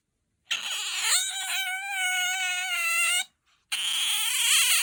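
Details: Pet otter, kept at home and described as having a high, soprano voice compared with aquarium otters, gives a long, shrill, wavering squeal of nearly three seconds with rich overtones, then a short break and a second piercing squeal.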